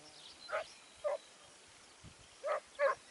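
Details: Segugio Italiano at Sofiko, Evros, on 29 May 2019, barking four times: two clear barks about half a second apart, a pause, then two more in quick succession, over a quiet rural background.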